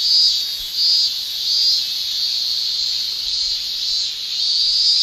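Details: Male Japanese cicadas shrilling in summer in Japan, a tymbal song: a dense, continuous high buzz with the loudness swelling and fading in soft pulses under one second apart, no other sounds.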